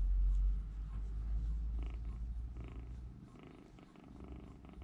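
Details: Three rescued baby kittens huddled together in a room corner, warming one another's small bodies; a low, steady rumbling purr fills the first seconds, then fades to a softer pulsing hum with light rustling indoors.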